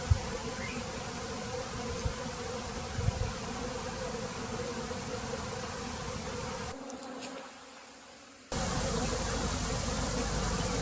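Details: A swarming Japanese honeybee colony on a remote southern Japanese island, later clustering on a tree above the hive; a continuous low, rough hum throughout, with a brief quieter break partway through.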